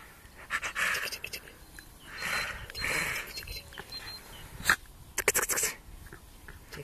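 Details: Miniature Schnauzer; laughing pant; play response to being tickled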